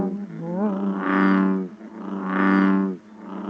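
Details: American bullfrog recording played during a frog-monitoring training session; a frog that calls later in summer, in June or even July. Two long, deep droning notes, each about one and a half seconds, rich in harmonics, likened to a lightsaber hum.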